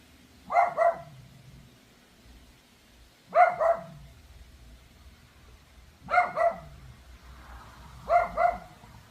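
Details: A neighbour's Pomeranian, recorded 26 July at 3:46 pm, barks loudly and endlessly as a nuisance: sharp, high double barks repeating about every three seconds.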